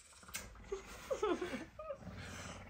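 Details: Messi, a hungry pet puma wanting breakfast and trying to wake its owner on a Tuesday morning, gives about four short whistled chirps that rise and fall in pitch, spaced unevenly across under three seconds, with a quiet room behind.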